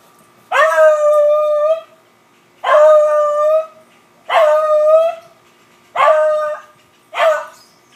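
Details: Humphrey the Beagle bays during a squirrel chase, five loud howls in eight seconds, each a falling, sustained wail lasting about a second, with short silent gaps between them.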